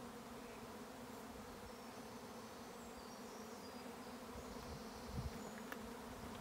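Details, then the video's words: Bees swarming on a County Kilkenny farm in Ireland make a continuous, massed low buzz that swells slightly near the end, while faint high bird chirps come and go in the background. "A swarm of bees & a most recognisable sound once you’ve experienced it"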